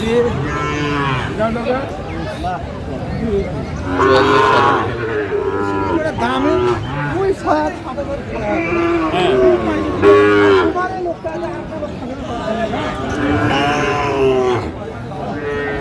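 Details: Cattle market scene with Sahiwal bulls, Natore, 2 February 2025: a long run of mooing from several animals, throaty moos about every two seconds, some overlapping, over a steady hum of people talking.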